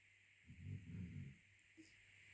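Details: Cairn Terrier, one of two dogs asleep, snoring: a single low, rumbling breath lasting about a second, with a steady hum in the background.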